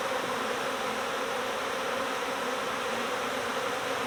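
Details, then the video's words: Honeybees in a swarm, recovered from next door at the start of swarm season, give a loud, constant wall of buzzing, dense and unvarying for the whole stretch. "My Bees Swarmed! Next Door Honeybee Recovery"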